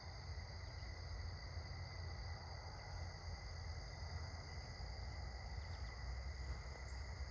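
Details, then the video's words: Evening cricket chorus at sunset during a walk, a continuous shrill ringing at several steady pitches with no pauses, faint brief high ticks near the end, and strong low-frequency rumble beneath. "Cricket's chirping sounds"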